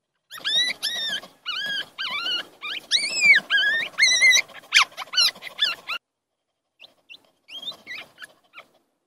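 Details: Puppy nursing from a stray dog gives high, whistled whimpers that rise then fall, in a quick run of squeals lasting about six seconds, then a short pause and a few softer whines.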